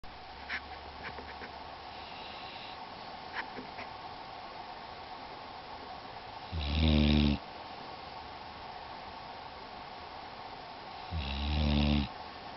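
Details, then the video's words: Shadow, a female pit bull, snores while asleep: two deep, rasping snore bursts with a low rumbling buzz, about four seconds apart, separated by quiet breathing and faint background hiss. "pittbull snoring in her sleep"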